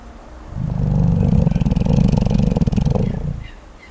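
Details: Sleeping koala snoring peacefully: a low, rough, pulsing rumble that builds over about three seconds with rapid rasping beats, then fades away.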